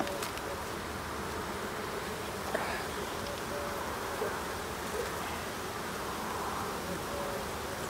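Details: Honey bees at an end-of-summer hive inspection on 22 September: a steady, diffuse buzzing hum fills the air, with faint wing tones of single bees drifting past now and then.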